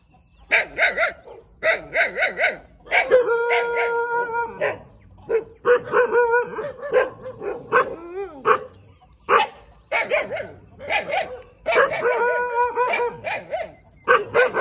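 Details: A little puppy barks a lot: quick yapping bursts alternate with longer drawn-out howling yelps that hold a steady tone, then more rapid high barks.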